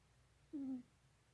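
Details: Novinha, a Florida cat, quietly snoring while asleep: a single soft, low, even breath sound lasting about a quarter second in a quiet indoor room.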